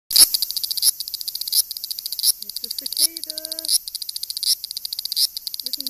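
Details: A Japanese cicada in Japan gives a harsh, high buzzing song that pulses in surges about once every second, with a person talking.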